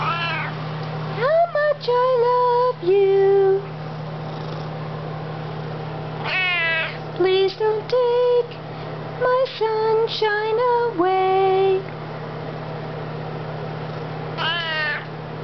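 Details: A Maine Coon cat gives drawn-out, wavering meows rising and falling in bursts, singing along while a person sings "You Are My Sunshine".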